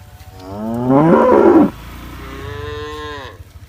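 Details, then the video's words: Tame cattle grazing green grass: one rough, strained moo rising then breaking off, followed by a softer, steady lower bellow trailing away. "cow sounds, calf sounds"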